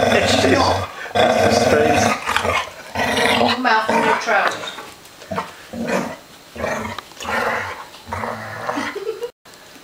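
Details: Three dogs playing together inside, loud rough growls and yelping whines tumbling one after another with brief gaps, human voices mixed in beneath the racket.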